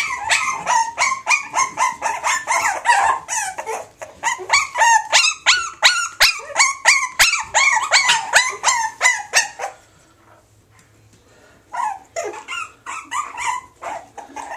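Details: Rapid strings of shrill yips from Springer Spaniel x Jack Russell puppies go on for ten seconds, then a brief hush, then several thinner, wavering cries.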